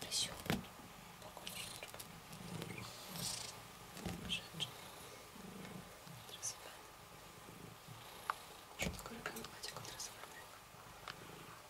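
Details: Rysiek, a cat in the isolation room at the Milanówek animal shelter, purring while being stroked: a soft low rumble swelling in pulses roughly every second, with faint clicks, rustling and quiet speech nearby.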